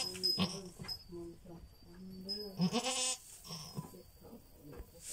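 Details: Goat bleating while giving birth, a series of wavering, nasal, drawn-out cries with strong harmonics, some short and some long, mixed with clicks and handling noises.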